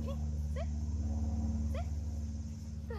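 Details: Cane Corso puppy, nine months old, during an obedience training session outdoors: short high rising whines repeated roughly every second, over a steady low hum.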